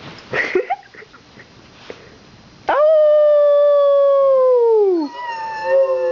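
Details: Pet dog reacting to passing fire truck sirens at a Santa parade gives one sustained howl lasting about two seconds that holds level then slides downward, preceded by a woman's voice and followed by softer whining howls.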